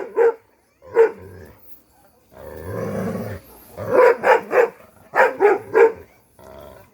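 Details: A tied Pungsan dog, approached or attacked in a hunting and chase setting, gives loud single barks, then a rough noisy stretch and a quick run of three barks, with a pause between bursts.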